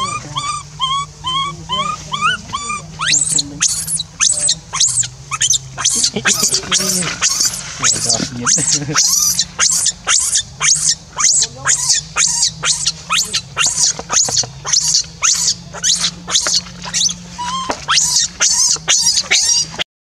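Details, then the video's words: Abandoned monkey cries until it loses its voice, calling another back: a few rising coos, then a long, relentless series of piercing, shrill screams, roughly two each second, with a steady low hum throughout. "So Pity!!Rainbow keeps crying till lose sound to call Libby back leave her stay alone"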